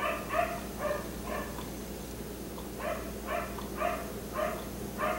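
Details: Distant, softer barking of a black Labrador retriever left outside until 1am, roughly ten muffled barks about every half second, partly blurred by a steady background hum.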